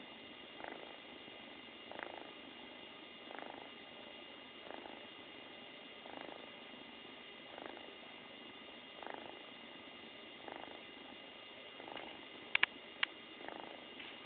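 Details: Loud continuous purring from a happy female kitten, rising in regular breathy pulses about every one and a half seconds, with a couple of sharp clicks near the end.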